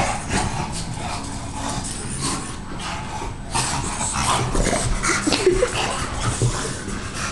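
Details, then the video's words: Freshly bathed, Winston the bulldog keeps up steady wet snuffling and huffing, then lets out a few short, thin, squeaky whimpers near the end. "Winston the bulldog after a bath"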